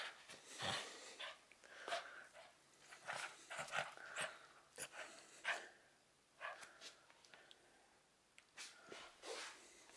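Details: Romka, a Cavalier King Charles Spaniel, tussles indoors over her favourite teddy bear in 2013. Short huffing snorts and breathy growls are spaced every second or two, with quiet gaps between them.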